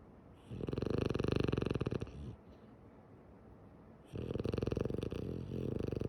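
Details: Female French Bulldog named Tsumugi sleeping with her eyes open, snoring in two long, rumbling, rattling bursts, the first lasting about a second and a half, then a quiet pause before the second begins.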